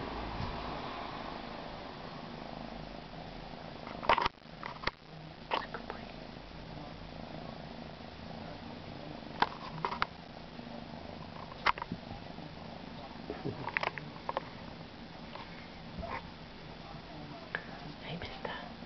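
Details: Siberian kitten, male, purring at length: a constant gentle low rumble over background hiss, with occasional clicks and rustling handling noises.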